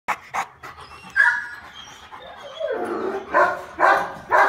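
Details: A male Rottweiler, filmed on December 16, gives short, breathy barks and whines in uneven bursts.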